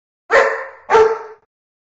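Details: Old English Sheepdog giving two loud, harsh, fairly long barks about 0.6 seconds apart, each fading out gradually, with silence around them.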